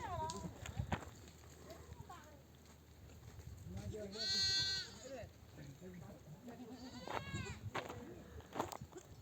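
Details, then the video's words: Nomads' ewes returning from pasture call their babies to nurse. A long, bright, quavering bleat stands out near the middle, followed later by a shorter one, among fainter bleats and low background rumble. "The sound of mother sheep returning from the pasture to breastfeed her babies"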